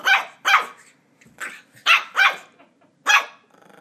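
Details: Ollie, a Border Terrier puppy, yaps at a squeaky toy he is attacking. Six bright, abrupt barks come irregularly, some in close pairs, with faint rustling between them.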